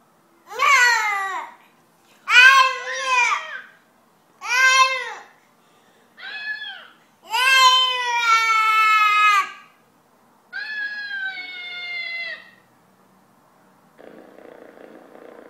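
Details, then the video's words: Young 'talking' cat heard indoors giving six separate drawn-out meows, each about a second or two long, some wavering and bending in pitch, the longest near the middle; a faint rustling noise follows at the end. "cute baby talking cat"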